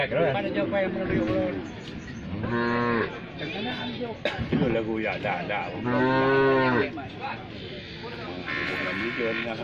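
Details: Cow with a broken leg after being hit by a car, suffering badly, giving two or three low, strained moos amid a busy mix of voices and background noise.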